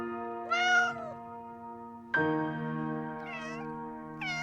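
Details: Cat giving three meows, one long drawn-out call followed by two shorter ones, the last cut off, set against sustained background music chords.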